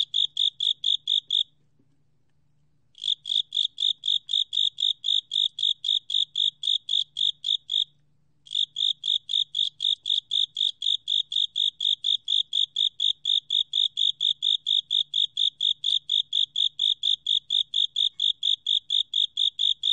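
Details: A Japanese burrowing cricket, recorded in 2020, sings a steady series of clear, high chirping pulses broken by two short pauses.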